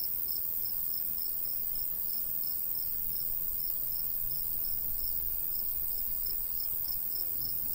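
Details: Faint, high cricket chirps pulse steadily above a light breeze in a golden wheat field in the summer countryside.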